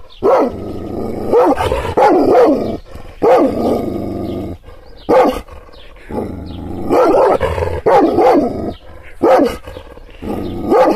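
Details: Angry Kangal shepherd dog, stirred up by hand gestures without being touched, gives clusters of deep, rough barks with droning growls between the bursts.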